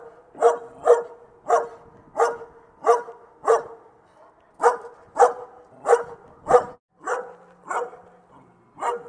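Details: A dog barking in short, sharp bursts, often paired, about thirteen barks over nine seconds with brief pauses between, fairly mid-pitched and loud against a quiet background.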